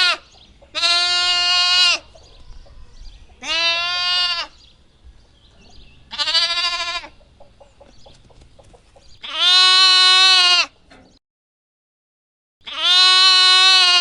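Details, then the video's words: Lamb repeatedly bleating, five loud, nasal, harmonic calls of roughly one second each spaced a few seconds apart, with faint clicks and shuffling between them and a short silent gap near the end. "What does a lamb sound like? | Real lamb sound"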